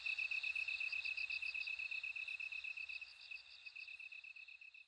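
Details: Close, clear bell cricket ringing, quick regular pulses of a high bell-like tone about four per second over a continuous shrill trill, with faint low rumble.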